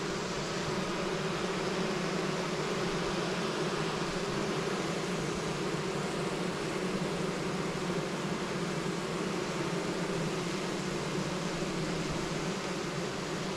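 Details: Honey bees, a 5-frame deep box packed full of nurse bees, left queenless for 24 hours before receiving grafted queen larvae in spring. The colony is calming down: a steady, dense, low droning hum with layered tones, unbroken throughout.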